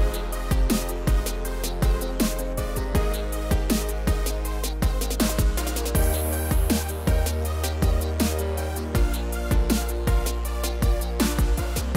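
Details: Heavy electronic music with thumping bass and sharp drum hits, and no animal sound.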